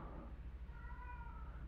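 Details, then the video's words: Female domestic cat in heat meowing indoors: a single drawn-out, slightly wavering meow with clear harmonics, lasting about a second, over a low steady background hum. "A gatinha tá miando aqui porque tá no cio e tá me atrapalhando."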